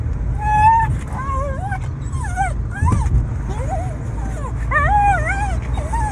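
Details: Lovesick Shiba Inu named Baku crying for a female: a run of high, wavering whimpers that rise and fall, some drawn out, some short and bending, repeated through the clip over a steady low rumbling hum.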